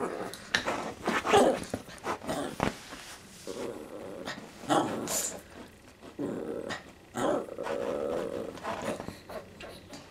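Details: Indoor pet dog unable to jump onto a newly bought bed, whining in several drawn-out bursts separated by pauses, with sniffs, rustling and a person's voice in between.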